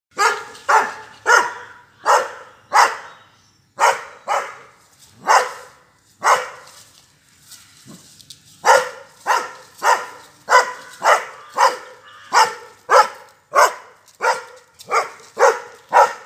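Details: Doberman. A Doberman gives deep, forceful barks in quick, fairly even runs, pausing briefly before starting again. The barking is aimed at controlling and moving a cow.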